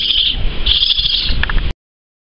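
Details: Orphaned baby raccoon on a short visit before going to an animal rescue, giving thin, high-pitched whining squeaks in two sustained bursts, followed by a few short clicks before it cuts off.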